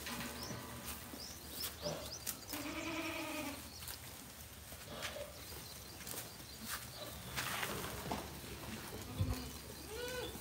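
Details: Goats brought from Modnimb market bleat several times, with one longer wavering, nasal bleat in the middle and shorter calls before and after, over steady crowd and handling noise.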